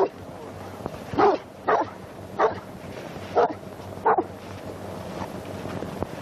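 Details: Historic 1929 recording of young St. Bernards being trained at the Great St. Bernard hospice in Switzerland, made on an early Movietone sound camera: five sharp barks in quick succession, then quiet, over constant crackly film hiss and low hum.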